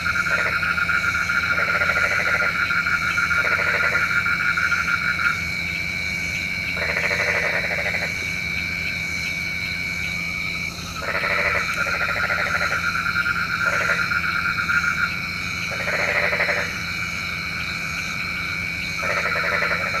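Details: Frogs calling at night, believed to summon rain: overlapping rattled croaking bouts start and stop irregularly over twenty seconds, layered on a continuous shrill background chorus.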